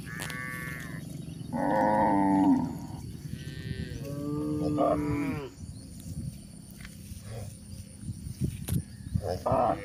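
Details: Village herd cows out on green pasture during a day of grazing; several harmonic moos, each about a second long, some rising then falling, overlapping and following close together, with low rumbling background noise.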